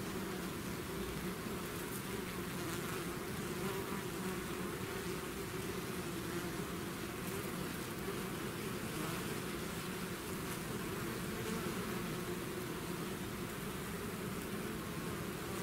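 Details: Swarm of bees pouring out of the hive, a constant thick drone of many wings with a steady low hum and faint hiss throughout, unchanging over fifteen seconds.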